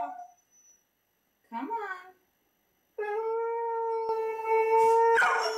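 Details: A three-year-old male black Labrador Retriever lets out a long, steady howl after a couple of brief rising whines, reacting to videos of talking huskies on TV.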